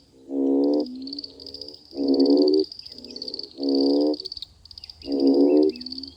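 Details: After summer rains, in a mating frenzy, frogs give deep, nasal croaks about half a second long, repeating roughly every second and a half over a high chorus.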